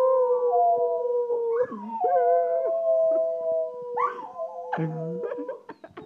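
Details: Walker Coonhound learning to howl, drawn-out steady howls overlapping with a second higher wavering howling voice, broken by short yips and a few low barky notes near the end.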